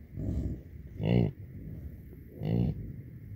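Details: Bison cows and calves of a 125-pair herd rotating to new pasture after much-needed rain; deep throaty grunts, a soft one followed by two louder growled calls roughly one and a half seconds apart.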